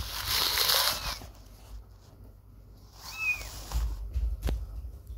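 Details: Kitten staying away from its mother for the first time while playing: one short high arched meow, with a hissy rustling burst at the start and soft thumps near the end.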